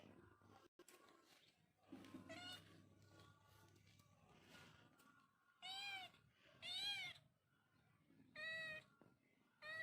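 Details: Cat or kitten with soft, faint mews early on, then three louder, wavering meows near the end, short pauses between them, and a low background hum.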